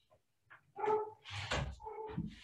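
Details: A pet dog barks indoors on a summer afternoon, giving a few short, harsh barks and yelps while a man talks over them.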